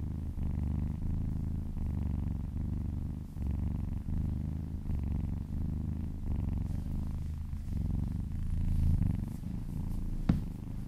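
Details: A happy cat purrs while being massaged, an even low buzzing rumble in breath-paced pulses, softening toward the end where light rustling and a single sharp click are heard.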